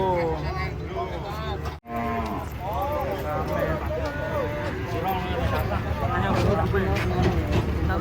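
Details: Several cattle moo repeatedly while coming off a truck, short overlapping lowing calls following one another in quick succession amid a noisy crowd and chatter.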